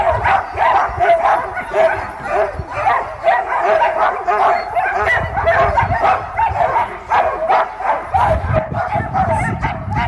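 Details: Sled dogs barking and yipping before takeoff at Caribou Crossing, Yukon Territory; a dense chorus of many dogs with overlapping sharp barks and yelps, steady throughout, with low rumbling noise underneath.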